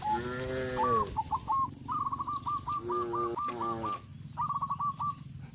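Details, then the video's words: Tame cows from a herd on a traditional village farm walking orderly towards the grazing fields; one long, drawn-out, deep moo opens, then two shorter moos, over a run of quick, clipped, higher repeated notes. "sound of cows"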